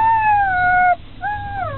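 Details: Saluki howling with excitement about going to the play paddock: a long, clear, steady tone sinking slightly, a brief break, then a second rising-and-falling howl.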